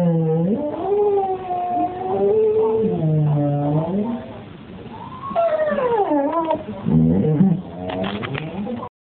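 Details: Pet English springer spaniel 'talking' at Christmas, giving long, warbling moan-like sounds that bend up and down in pitch, with a brief dip, then renewed rising and falling yowls and some choppier bursts toward the end.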